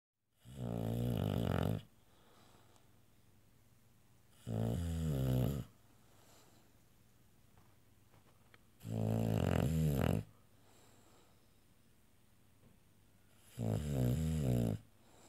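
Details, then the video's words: Sleeping female bulldog snoring loudly indoors, with four long rasping, buzzy snores, each lasting one to one and a half seconds and coming roughly every four seconds, with quiet breathing pauses between them. "the Snoring Bulldog"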